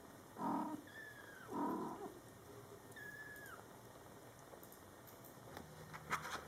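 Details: Two deep, breathy chirps from mother cat Coco talking to her Scottish Fold kittens in their first month of life, each followed by a kitten's high, thin, falling meow, a third meow after, then soft clicking and rustling.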